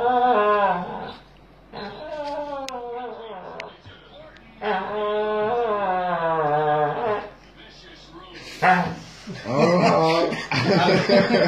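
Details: Strange talk-like moaning from a dog in an odd position, apparently complaining about something: several drawn-out wavering, howl-like phrases separated by short pauses, ending with noisier, rougher sounds and a clatter.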